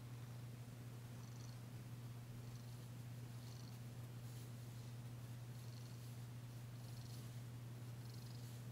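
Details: Danci, a female cat, purring while being massaged on February 9, 2022, still tentative but enjoying it, her first purr since arriving: a soft, continuous, low rumbling hum that stays steady throughout in a quiet room.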